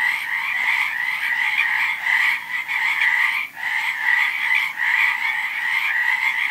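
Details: A thick chorus of many frogs, their trilling croaks blending into a continuous buzz over a lower trill, with a brief dip in loudness near the middle before the chorus resumes.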